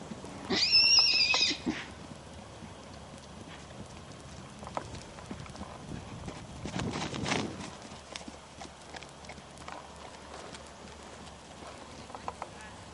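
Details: Black miniature horse giving one high, wavering whinny of about a second, shaky and tremulous in pitch, followed by rustling, soft hoof thuds and a low background murmur.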